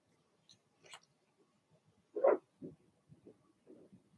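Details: Blenheim Cavalier King Charles Spaniel puppies from Remy's first litter of six, indoors in their puppy pen. One short, sharp yip comes about midway, followed by soft low grunts and shuffling, with faint squeaks just before it.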